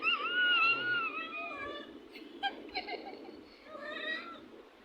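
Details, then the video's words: Playful domestic cat utters a long, gently wavering meow that slowly falls in pitch, followed by a few short, broken chirpy notes and a brief clatter. "বিড়ালের খুনসুটি"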